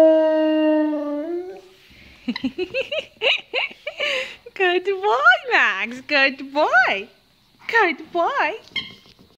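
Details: An 11-month-old Siberian Husky living in Jordan howls while playing with his toy. A steady, drawn-out tone opens and lasts over a second. After a short pause comes a quick run of wavering, rising-and-falling yodelling yowls in bursts until the end.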